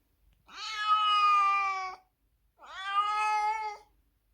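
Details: A domestic cat, crying loudly on seeing its carrier in the morning before a trip to the vet for its annual vaccination, gives two long, drawn-out meows, steady in pitch with a slight rise at the start.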